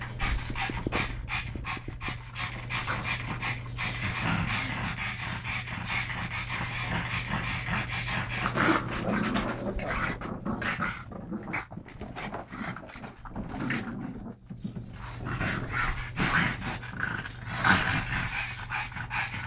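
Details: Rescued pug brothers Yogi and Mister from Malta play-wrestling; steady rapid panting and snuffling runs throughout, broken by sharper snorts and scuffling, over a constant low household hum.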